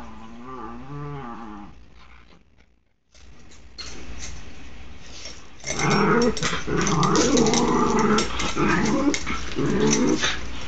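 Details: Android phone recording of dogs wrestling, Oscar among them. It opens with a wavering, whine-like moan, pauses briefly, then loud continuous play-growling with rasping snarls runs from six seconds to the end.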